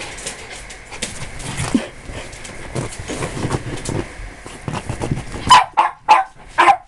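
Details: Cairn Terrier at play: after low scuffling and rustling, four loud, sharp barks ring out in a row, about one every half second.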